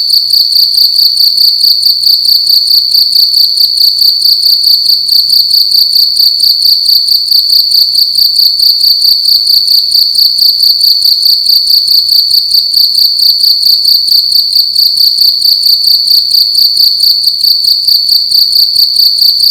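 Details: A cricket indoors in a room at night, making loud, continuous high-pitched chirps in fast regular pulses, about two per second, with a steady ringing tone throughout and no other clear sounds.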